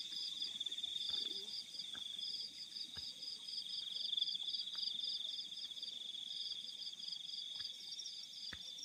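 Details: Crickets calling at night in fields: a steady high shrill trill with regular pulsed chirps repeated about four times a second, over a faint quiet background with occasional clicks.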